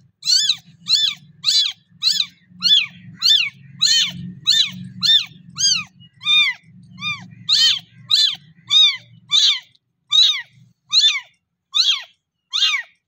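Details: Little kitten calling to its mamma cat for milk, giving some twenty shrill, bowed meows in a fast, fairly even series, with a soft low rumbling continuing beneath the calls for much of the stretch.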